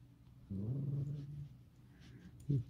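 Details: Pet red fox indoors giving a low, rumbling growl about one second long with harmonic bands, followed by a brief rougher sound near the end; a person speaks Russian nearby.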